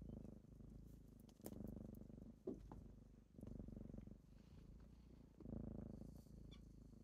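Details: Purring kittens waking their owner in the morning: a soft, deep rumble rising and falling in breath-length phrases, with a few faint taps and rustles.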